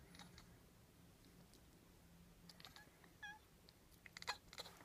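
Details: A domestic cat chatters in frustration at pigeons on a neighbour's roof she can't reach, quiet rapid clicking bursts with a brief squeaky note near the end, against a soft indoor hum.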